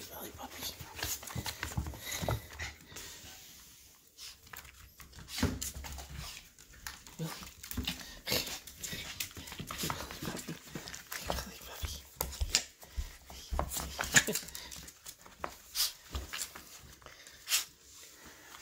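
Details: Willie, a pet Yorkshire terrier puppy, indoors in a small room as his owner comes home at night; he barks until he knows it is safe, then greets at the door. Short sharp bursts scattered irregularly, with panting and some human speech.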